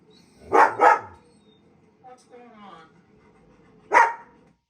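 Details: A German Shepherd, set off by hearing other dogs, gives loud, deep barks: a quick double bark followed by a single one.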